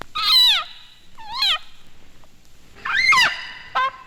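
A leopard frog gives loud, nasal, wavering screams, each cry rising and then falling away.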